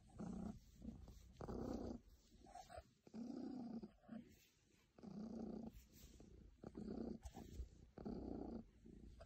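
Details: A very happy cat's rumbling purr, alternating strong and weaker phases with each breath, five or six loud surges spaced about one and a half seconds apart.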